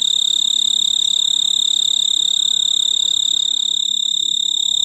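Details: Male snowy tree cricket trilling from a large purple clematis bloom on a veranda, mid-August, calling for a mate. Unbroken high-pitched, even, ringing trill at constant loudness.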